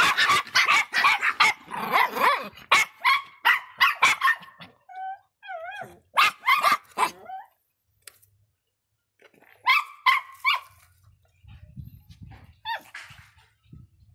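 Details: Feisty Miniature Pinscher named Faísca barking angrily: dense bursts of sharp, high barks, a short stretch of wavering whine-like tones, another quick volley of barks after a near-silent gap, then faint low rumbling.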